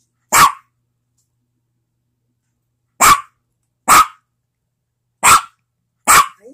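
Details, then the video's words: A pet dog barks once, pauses over two seconds, then lets out four more sharp barks in quicker succession, irregularly spaced; clean, quiet surroundings. "My dog barking"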